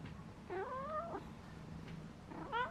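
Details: Pet cat giving two drawn-out tonal meows: one rising then falling over about half a second, another short rising cry at the end, with faint low household hum in between.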